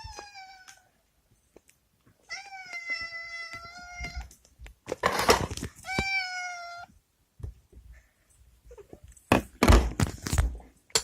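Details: Rescued former stray domestic cats waiting impatiently for treats of lickable paste and whitebait: three drawn-out, tonal meows, the middle one longest, between bursts of rustling and thumping indoors.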